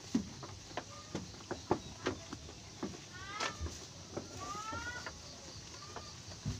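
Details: Garut sheep in a pen where a ewe gives birth to triplets; a short harmonic bleat near the midpoint, then a longer wavering bleat, set among scattered knocks, clicks and steady background noise.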